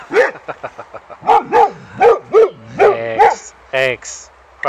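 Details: Boxer dog greeting an old friend at a reunion a year after their first meeting, at first finding him strange; a run of about a dozen short, arched, harmonic barks and yips in quick succession, with human voices talking over them.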